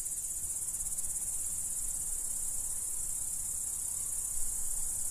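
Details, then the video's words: Dominican Republic crickets chirping together in an unbroken high, shimmering trill, with a soft low hum of background noise beneath the insect chorus. "Celestial Cricket Sounds"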